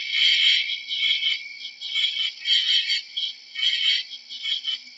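A cricket chirps in high, buzzy pulsed bursts that repeat roughly every second.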